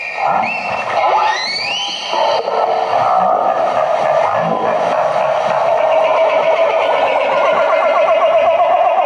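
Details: Humpback whales trade overlapping moans, upsweeping whoops and rapid pulsed chatter in a dense, busy exchange; social chatter heard when bubble nets fail, interpreted as a possible argument.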